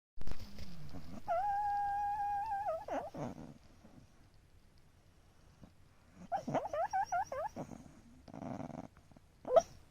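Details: Black Shiba Inu snoring, recorded on 6 January 2022: a long whistled nasal tone held steady for about a second and a half, then a run of short wavering whistles, with soft breathing noises between.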